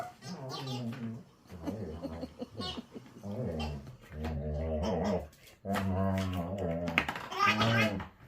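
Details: German Shepherd dog at play, making a noisy mix of throaty growls and whining moans while failing to destroy a toy, sounds rising and falling in uneven bursts with short gaps.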